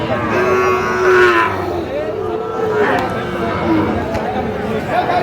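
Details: At a Bogura cattle market in Bangladesh, 13 March 2025, during the sale of a Sahiwal bull calf: a level moo opens, followed by shorter, softer lows while men talk nearby.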